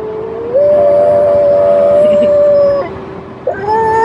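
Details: French Bulldog named Ugo, described as a little dog that talks, giving long sustained tonal howls held steady, a brief break, then a rising whine; a faint constant tone hums underneath.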